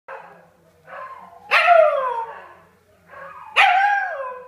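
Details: Scottish Terrier howling, joining in the neighbours' huskies' daily howling session; rising-then-falling wavering howls with breaks between, two louder drawn-out howls starting at about 1.5 and 3.5 seconds.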